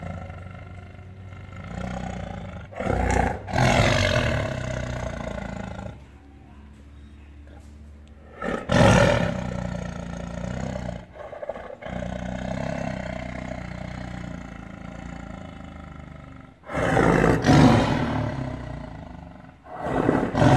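A tiger gives deep, rumbling roars and growls that swell into loud, harsh bursts.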